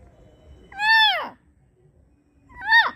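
A puppy gives two high, tonal yelping barks, each rising then dropping away.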